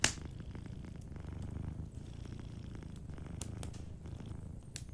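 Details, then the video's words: Low, steady purr from a sleeping cat, a soft pulsing rumble under a crackling fireplace. A sharp snap opens the passage, followed by a few fainter pops. "Warm Fireplace Ambience with a Sleeping Cat 🐱💤Fireplace & Soft Purring"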